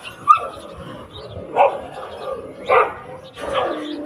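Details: Stray dogs on a street trying to separate two locked dogs: a few sharp barks and yelps spaced about a second apart, with a low whining tone between them.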